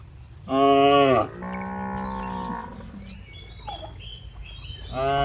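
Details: Fat, tame cattle roaming in a rice field while grazing: a loud, harmonic, drawn-out moo, then a lower, steadier second moo lasting over a second. A higher, faint chirping follows, and another moo begins at the end.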